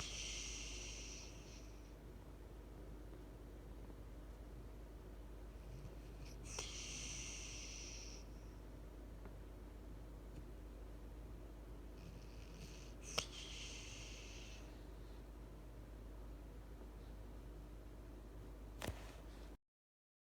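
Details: Labany puppy Blaize snoring away while sleeping in his chair: soft airy rasping breaths recur roughly every six seconds, with a few faint clicks between them in a hushed indoor setting.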